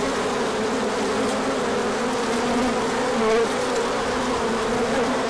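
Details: Crowds of bees making a large orientation flight on a sunny March 2024 day after cold weather; steady, dense humming with a brief louder buzz as one bee passes near, around three seconds in.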